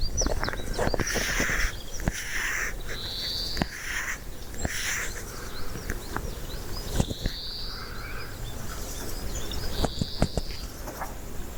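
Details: A Siberian chipmunk (Tamias sibiricus) gives short, high, whistled chirps every few seconds over a steady low rumble.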